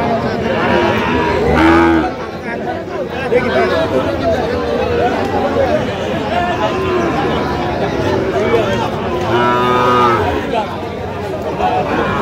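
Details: Sahiwal calves at a livestock market in Kurigram, Bangladesh, 9 November 2025: two brief, bellowing moos about eight seconds apart, half-buried in loud continuous talk and crowd noise from buyers and sellers.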